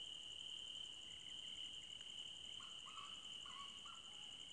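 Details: Forest at night with crickets keeping up a constant shrill trill and a rapid pulsing buzz above it, while a few brief, lower, bird-like calls break in during the second half.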